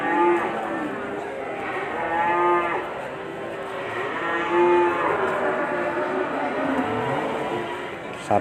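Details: Bull cattle offered for Qurban sacrifice. Several overlapping deep moos rise and fall with strong harmonics, some long and drawn out. Background music and crowd murmur run throughout.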